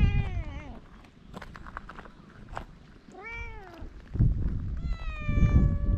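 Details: Feral cats on a Japanese cat island meow three times: a falling cry, an arched mid-clip meow, then a long steady one, with scuffing and outdoor rumble between calls.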